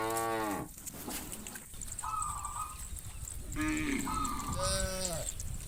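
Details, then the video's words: Herd of cows moving from farm to field in the morning in a village, adult cows calling the herd to grass; a deep moo at the start, then several higher, flat, nasal calls from other cattle over background noise. "Herding Thousands of Cows From the Farm to the Field in the Morning - funny cow sounds"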